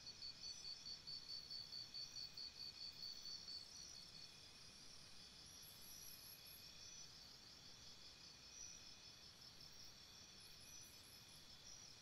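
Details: Crickets chirping by a campsite at night: a brisk sequence of high repeated chirps in the opening seconds, followed by steady high-pitched insect hum with occasional faint higher trills.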